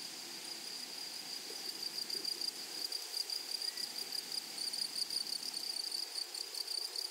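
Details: Grasshoppers in a flowery meadow or prairie: a steady high buzzing band with a fainter upper overtone, pulsing more strongly in the second half; faint low rustling beneath.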